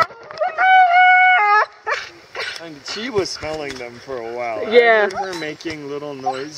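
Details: Siberian Husky named Roxie, a female, excited at seeing horses while sheltering from a downpour on a hike in Staunton State Park, Colorado: a sustained high harmonic whine held for about a second, followed by people talking over softer warbling vocal sounds.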